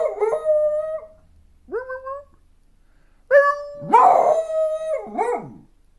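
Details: A 1.5-year-old female beagle howls in a series of drawn-out, rich, mellow notes, some scooping sharply upward before holding a steady pitch, with short breaks between cries.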